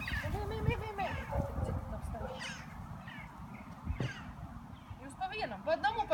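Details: Lhasa Apso. Several Lhasa Apso puppies whimper and yelp in thin, quavering notes that rise and fall irregularly. A low rumbling background runs throughout, with a person's voice nearby.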